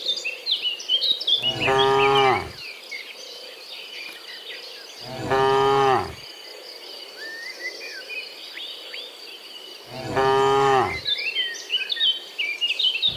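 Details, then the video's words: Afternoon herd of dozens of cows driven home from the fields toward the pen; three drawn-out low moos spaced roughly four seconds apart, over continuous bird chirps and a thin high insect-like hum. "Herding Dozens of Moo Cows Walking Home from the Fields to the Pen in the Afternoon, Sound of Cows"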